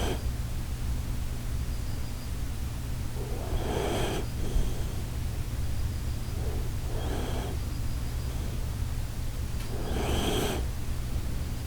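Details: Koharu, a sleeping Shiba Inu, snoring in a 'Titanic departure' style: breathy, noisy snore bursts roughly every three seconds, each lasting under a second, over a steady low indoor hum.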